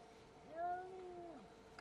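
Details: Cat in a territorial fight giving a single drawn-out yowl about one second long, rich in harmonics, holding a level pitch before dropping off at the end.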